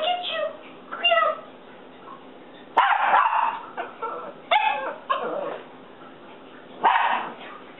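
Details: House dog barks at its reflection in a window, giving irregular bursts of rough barks mixed with thin, whiny yelps, quieter gaps between them, and faint human talk in the background.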